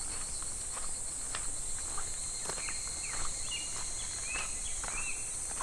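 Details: Cicadas calling in July by a clear, shallow, slow-flowing stream: a steady, unbroken high-pitched shrill drone throughout, with short rising chirps scattered over it and faint footsteps and rustling below.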